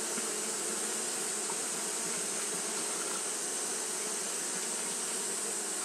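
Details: Japanese honey bees fanning steadily at the hive on a hot day; a dense, continuous droning hum with low harmonic bands near the bottom and a broad hiss above, unbroken throughout with no other sounds.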